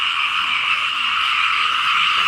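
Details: Steady, deafening chorus of frogs and small frogs across rainy fields in Laos, countless overlapping buzzy trills blending into one even, high-pitched drone.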